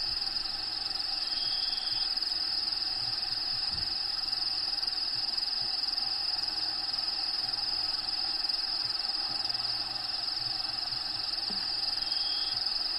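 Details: Crickets inside a bearded dragon's vivarium, with natural habitat sounds playing in the background: a steady, continuous high-pitched trill holds throughout. Faint low pulsed hums sit beneath.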